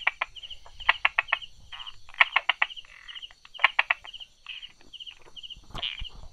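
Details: Brauer's tree frog tucked between stones and small grass, 22 July 2016, late morning, clicking 'da-da-da' in short rapid clusters of three to five hard taps, repeated every second or so over a buzzing insect chorus.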